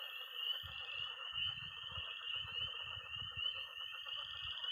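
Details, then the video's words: Early-spring night by a pond in Missouri, where tree frogs peep constantly in a high shrill chorus over lower trilling toads and croaking frogs, while bursts of low thudding rumble underneath. "Relaxing sounds. 20 minutes of toads and frogs, sound only!"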